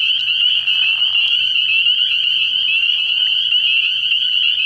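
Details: Spring peepers in full chorus at a frog pond at night early in the year, countless shrill high peeps fused into a steady trilling drone, with a few sharper individual notes near the start.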